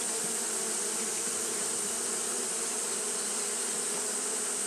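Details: Japanese honey bees fanning continuously on a hot day: a steady, even hum with a low drone and its overtone, over a bright, constant hiss.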